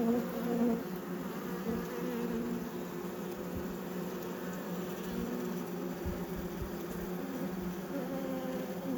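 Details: Steady droning hum of a honey bee colony in an apiary, recorded while a beekeeper inspects the hives; a continuous low, even buzz, slightly louder in the first second, with faint soft knocks now and then.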